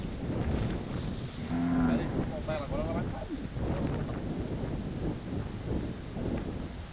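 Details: Heifer tangled in a tree gives a brief, low, steady moo, followed by a couple of shorter wavering lowing sounds over constant rustling and handling noise.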